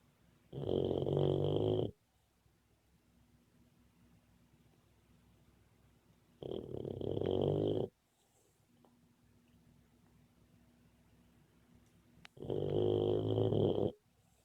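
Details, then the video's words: A sleeping, dreaming Boxer puppy snores in three long, gravelly breaths roughly six seconds apart, each about one and a half seconds, carrying a thin high whistle, with near silence in the gaps. "Boxer puppy snoring and dreaming."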